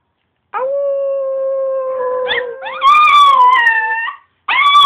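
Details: A pet Chihuahua howling: a long, steady, level tone that wavers slightly, then breaks into a higher, louder drawn-out howl. A fresh howl begins just as the sound cuts off.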